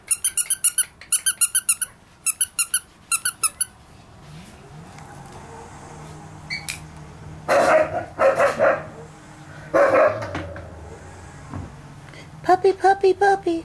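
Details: White Pekingese puppy, eight weeks old, indoors; clusters of high squeaking bursts open, followed by several sharp, loud barks and then a run of quick yelps.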